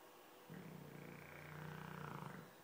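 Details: Dogue de Bordeaux asleep and snoring, one drawn-out, deep, vibrating snore lasting nearly two seconds, steady and pulsing, set against quiet room background.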